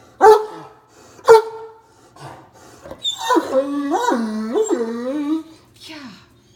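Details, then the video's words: Deaf male Great Dane, caught licking leftover sauce from a pan on the kitchen counter, 'talks' back: two short sharp barks, then a long wavering moan that bends up and down in yodel-like swoops before fading with a brief final whine. "Talking Great Dane Gets Caught in the Act Counter Surfing"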